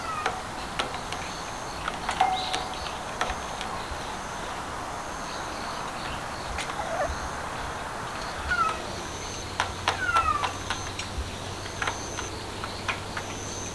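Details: Stray cats seeking out sunshine as a sudden cold snap arrives; a couple of short, faint, downward-sliding meows come late, over a steady high insect-like hum and scattered sharp ticking clicks.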